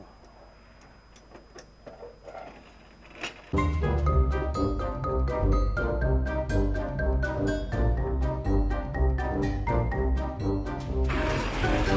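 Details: Quiet handling noises give way after a few seconds to upbeat mallet-percussion music with a steady pulsing rhythm, and no animal voice is heard.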